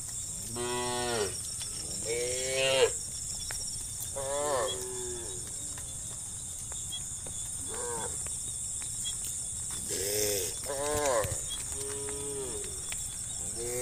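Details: Cows being herded through muddy rice fields toward a livestock pen on a misty morning moo in short, rich, nasal calls, one after another, over a steady high insect drone.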